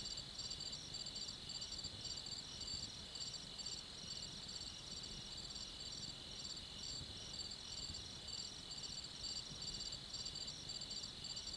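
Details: Crickets at night produce a dense, even chorus of high trilled chirps in short repeated bursts, over a continuous piercing tone and soft low rumble.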